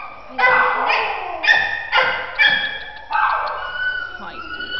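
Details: Scruffy, a scared four-year-old male terrier mix at a shelter, fine with big dogs but fearful of people, gives a few high, strained barks and yips separated by short pauses.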